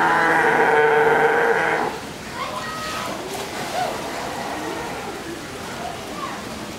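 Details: A California sea lion at an aquarium gives one loud, drawn-out honking call, followed by murmuring background noise.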